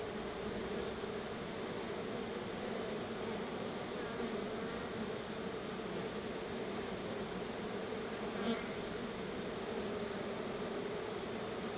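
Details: A crowd of honey bees at their hive, fed a little store-bought honey as a treat. A thick, continuous buzz with a steady low hum. A brief faint tick comes near the end.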